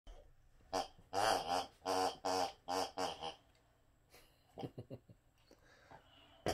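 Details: Rex the Boxer trying to get another dog to play with him indoors; a run of about six grumbling, moaning vocal bursts in quick succession, then softer snorts and a few short sounds.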